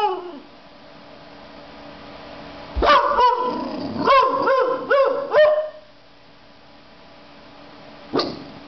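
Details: An 18-week-old Boxer puppy barks for the first time, a burst of high, squeaky yips.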